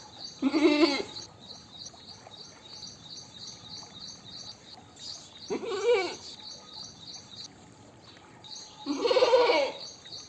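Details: Goat bleats: three wavering calls, each roughly half a second long, spread across ten seconds. A continuous, fast, high-pitched pulsing chirp runs behind them.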